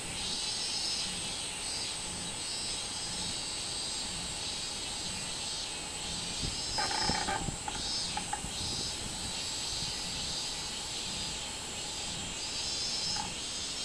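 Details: Robust cicada (minminzemi), 24 July 2016: a strident, high-pitched sizzling drone pulsing gently, over a faint steady tone, with a cluster of sharp clicks midway.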